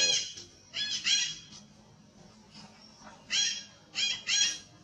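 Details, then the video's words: Big monkey under abuse, crying at its loudest: rough, high-pitched squealing screams in paired bursts, separated by short quiet gaps, over a faint background rumble. "It Too Heavy Big Monkey One - Badly Abuse, The Most Sounds Cry Loudest."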